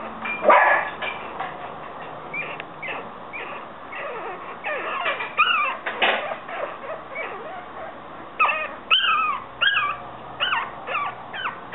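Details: Yorkshire Terrier puppies giving thin, high whines and yelps, a busy cluster of short squeaks early on, then clear arching whimpers in quick bursts toward the end.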